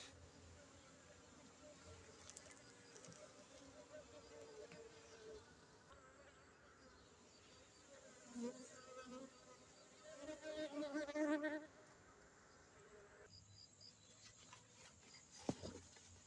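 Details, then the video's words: Honey bees from Aceh: a low, steady droning hum with faint harmonics, swelling into louder buzzing bursts around the middle and again shortly after, then fading to a quieter background hum with a brief click near the end. "lebah madu aceh"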